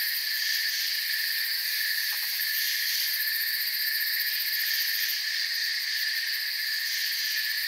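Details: Crickets chirping as a dense, unbroken chorus: layered steady shrill tones stacked at several pitches, with faint rapid ticking pulses high above and a brief soft lower click burst near two seconds.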